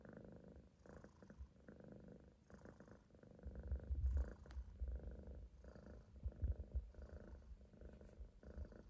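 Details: Relaxed Munchkin kitten asleep in a loaf on an owner's stomach, snoring with a low purr-like rumble in regular breathing pulses, deepening and louder midway through.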